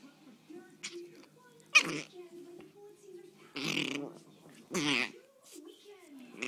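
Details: Small mixed-breed dog, about five and a half years old and possibly Chihuahua, Pug, Min-pin or Jack Russell, grumbling with low, drawn-out growls during play as her foot is toyed with; harsh snapping bursts cut in.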